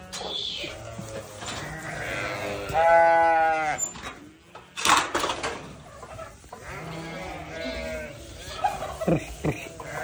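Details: Young newborn lambs give a loud, clear quavering bleat midway, with fainter bleats before and after, over background rustling and a human voice.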